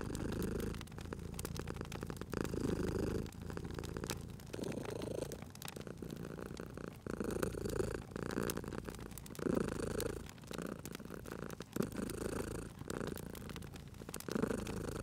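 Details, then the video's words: Domestic cat purring beside a crackling fireplace in a cozy spring setting; low rumbling purr swells and fades in steady breaths roughly every second or so, with sharp pops and snaps of burning wood scattered throughout. "Cute Purring Cat at a Crackling Fireplace"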